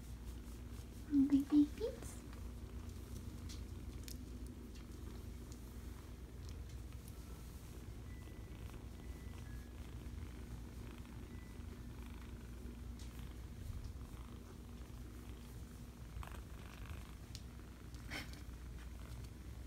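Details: Five-week-old kittens purring: a soft, steady low rumble runs through the whole recording, with a brief higher squeak near the start and a person speaking quietly.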